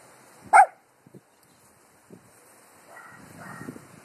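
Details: Dog barking at the wind: one sharp, loud bark near the start, then a few faint thuds and a soft rustling, breathy noise toward the end.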